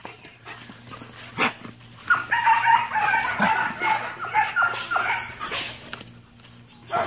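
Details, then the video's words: Ares, a Belgian Malinois described as noisy, gives a long run of tonal, harmonic whines and moans that rise and fall for about four seconds, with scattered knocks and faint background noise. "Ares Rudioso malinois negundor"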